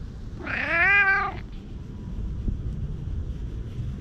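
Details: A stray tabby-and-white cat pleading from the shade of trees, recorded outdoors on a GoPro HERO8. It gives one drawn-out, nasal meow lasting about a second, rising then falling in pitch. Low rumbling background noise follows.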